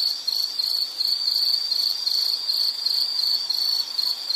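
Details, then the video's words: Insect sound for calming background listening: a shrill, high, continuous pulsed trill in short repeated bursts, quite loud and even, with faint hiss beneath. "Sound · Nature Sound of nature sounds scenery L · insect"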